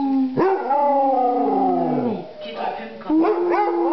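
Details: A Basset Hound gives a drawn-out howl that rises quickly, holds, then sags slowly downward. After a brief dip it resumes with a second level, wavering note.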